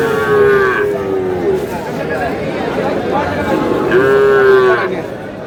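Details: At a Kurigram cattle market on 3 March, Sahiwal cattle where bull calves are traded give two loud, harmonic moos a few seconds apart, each holding steady then dropping slightly, amid busy crowd babble.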